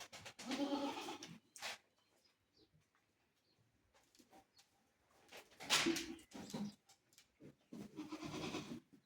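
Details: Black Bengal goats on a goat farm in Bargarh, Odisha: three loud, harmonic bleats, one at the start, one near six seconds and one at the end, with quiet stretches and faint knocks between.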